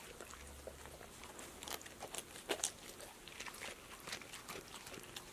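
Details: Passport, a female pet dog, eats snacks such as apple slices, lettuce, sunflower seeds in the shell, tomatoes and green beans for an ASMR recording; sharp crunches and wet mouth clicks come in quick irregular bursts.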